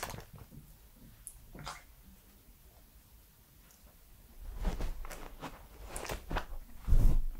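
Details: A 3-year-old male Pembroke Welsh Corgi eats, making soft wet clicks and crunchy chewing bursts close to the ear; the foods given on recording days included banana, strawberry, watermelon and his dog food.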